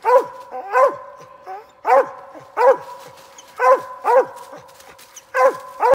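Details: Dog on a squirrel hunt signalling a Mississippi gray squirrel: loud, resonant barks, often paired, repeating about every second, clear and close with little background noise.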